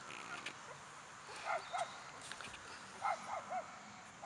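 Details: Two-week-old American Bulldog puppies give soft, high whimpering squeaks in short rising-falling pairs, about one burst every half second in places, over a steady hiss, with a woman speaking gently nearby.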